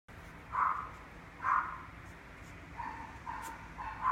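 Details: Mixed-breed male puppy with an apricot coat, born 26 September 2019, kept at a pet shop, giving short high yapping barks in small bursts about once a second, with quieter yips between them over a steady low room hum.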